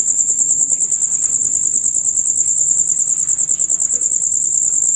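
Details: Loud, rapid chirping of male crickets, a sound of the hours from dusk to dawn: a continuous shrill, finely pulsed trill holding one high pitch, with faint scattered low rustles.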